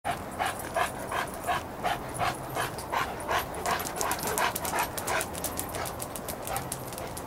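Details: Dogs following each other by a lake: Chester the St. Bernard with Izzy the German Shepherd, Cody the Golden Retriever and Clifford the Great Dane. Quick, steady breathy panting, roughly three huffs a second, throughout.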